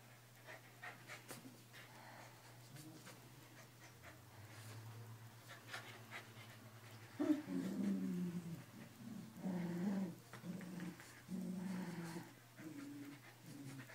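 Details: Two keeshonds tugging at a toy in a game of tug of war: quiet panting at first, then from midway loud throaty growls in repeated rumbling bursts over a constant low hum.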